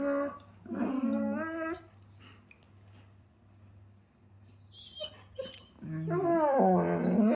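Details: German Shepherds at playtime grumble and whine in playful, drawn-out moans, in two bursts separated by a quiet gap.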